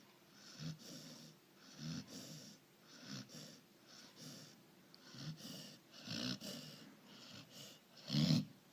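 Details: Sleeping Labrador Retriever snoring in rhythmic, raspy breaths, each wheezy snore about every one to one and a half seconds, with a louder snort near the end; quiet room otherwise.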